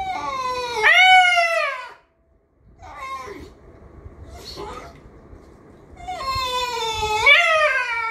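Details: Homer, a very expressive miniature schnauzer, "talks" or complains indoors: two long, wavering, whine-like harmonic howls, the first rising then falling, the second dipping then rising, separated by softer murmured sounds.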